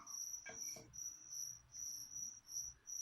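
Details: Crickets kept as live feeder insects for a pet leopard gecko, chirping in short, high, pulsed bursts repeated about two or three times a second, interrupted by a couple of sharp clicks early on.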